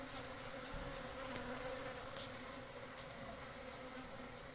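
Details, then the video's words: Wild honey bees, locally called Pahadi Makhi, building comb and storing honey at their natural nest; a dense, steady drone of many wings with a low hum running throughout. "Honey Bees Nest comb building and storing honey"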